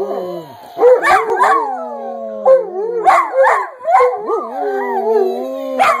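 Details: Several dogs, prompted by a person to howl, howl together in long wavering tones rising and falling over one another.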